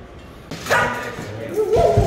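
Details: Samoyed dog leaving Korea for a new start in Thailand, waiting before the flight with carts and cargo-hold travel being discussed; one sharp bark after half a second, then a higher wavering whine, with people talking nearby.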